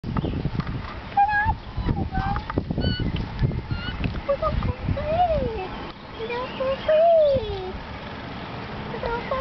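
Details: Young raccoon kits giving thin, whiny calls that swoop up and down, some drawn-out and wavering, others short and rising, repeated over a steady noisy rumble of handling and movement.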